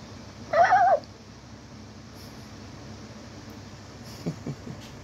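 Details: Chihuahua puppy playing with a Nightmare Before Christmas Jack hat; a single short, wavering, whiny yelp lasting about half a second, followed by quiet, with a few faint soft knocks near the end.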